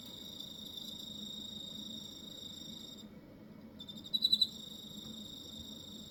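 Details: High, ringing cricket song from Hokkaido, Japan, holding steady, then falling silent for under a second before resuming with a sharp run of four quick pulses and settling back into the constant trill.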